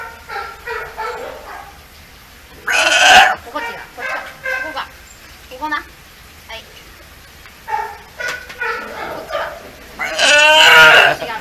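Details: Hinata, a nearly one-year-old male California sea lion pup at Ise Sea Paradise aquarium, firmly making his wishes known: two loud, harsh, bleating calls about seven seconds apart, with a person talking softly between them.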